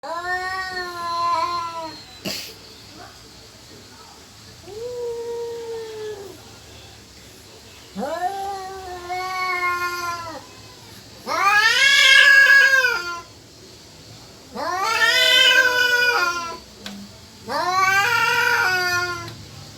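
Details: Cat yowling, possibly seeking to mate or about to fight: long drawn harmonic wails that rise then sag, about six over twenty seconds, the later ones louder and harsher, separated by brief quiet gaps.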